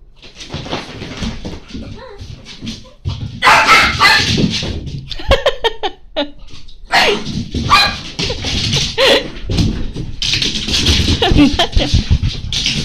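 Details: French Bulldog, scared and running wildly indoors, wanting to play with another dog but not daring to approach; sharp barks and yips in uneven bursts with panting-like breaths and scuffling between them.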